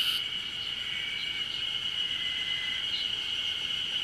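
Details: Distant Ezo harusemi cicada chorus on Mount Ryozen in Fukushima, Japan, recorded 20 June 2021 as early summer arrives; a faint, continuous high-pitched drone with no clear pulsing, over soft background hiss.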